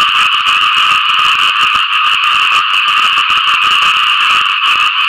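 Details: Frogs calling for mates after rain, a dense, unbroken chorus of rapid rasping croaks in two steady bands, one low and one high, with fast clicking pulses running through it.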